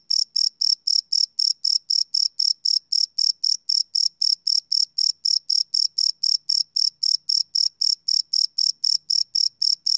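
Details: Night cricket song recorded live on a field recorder, a continuous, evenly spaced train of bright, high chirps, about four each second, with nothing else audible beyond a faint low hum.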